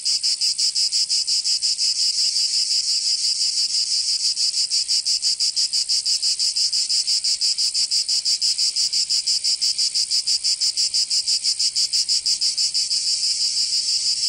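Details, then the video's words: Cicadas singing in summer in Provence, southern France: a dense, loud, high-pitched buzzing drone pulsing steadily about three times per second, continuous throughout with no other sounds. "Canto Cigarra 🦗 [ Escuchar les cigarras en verano 10 H]"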